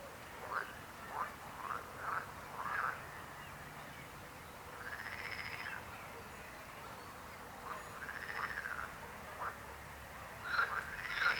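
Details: A frog chorus of irregular croaks: a run of short pulsed croaks, then longer drawn-out arching calls, with pauses between bursts.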